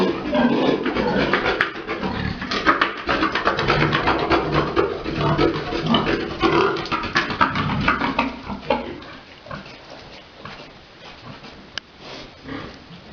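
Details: Big boar mating a sow on a pig farm during breeding: dense, rough low grunts and snorts tumble over one another for about nine seconds, then fade into quieter scattered grunting with a sharp click near the end.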